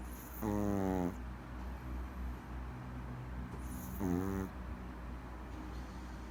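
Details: Sleeping Maltese puppy snoring. Two loud, buzzy, half-second snores with stacked harmonics, spaced about three and a half seconds apart, with a faint high shimmer above and a low constant hum underneath.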